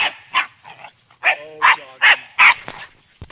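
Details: A Welsh Corgi puppy at play on a farm gives loud, high yapping barks, several in quick succession, the later ones strong and ringing, with a short pause before a final soft sound.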